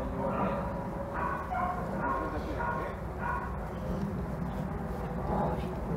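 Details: German Shepherd named Saber, a male, barking in a series of short, sharp, harmonic barks, several in quick succession and then a few more spaced out, with a person's voice and steady low background rumble.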